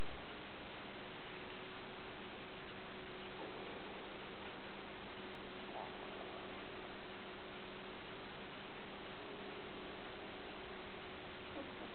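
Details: Steady soft hiss with a faint low hum throughout, and only a few tiny ticks breaking the near-silence.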